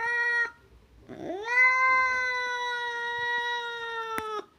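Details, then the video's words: Domestic cat: a brief meow, a short pause, then a long call that slides upward and holds a steady, harmonically rich tone for nearly three seconds before cutting off; no other sounds. "Gerçek kedi sesi"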